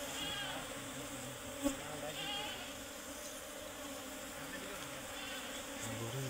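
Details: A colony of Serena bees in a hollow tree hums continuously as the comb is cut away, a thick even drone with a brief click and some voices in the background.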